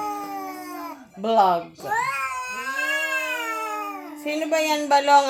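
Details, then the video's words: Visiting cat making a strange sound: long, drawn-out yowling wails that rise and waver, with a short break midway, followed by harsher, rougher yowls near the end. "Visitor cat makes strange sound"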